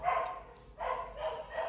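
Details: A neighbour's dog barking in the background during a talk: three loud, rough barks, the first followed by a short pause, then two more in quick succession.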